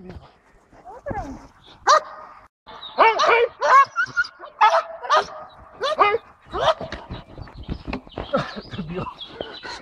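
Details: Eight-month-old Belgian Malinois named Jano od Argalasov barking during defence training on 2 May 2014; loud, sharp barks come in bursts across the clip, mixed with men talking and giving commands.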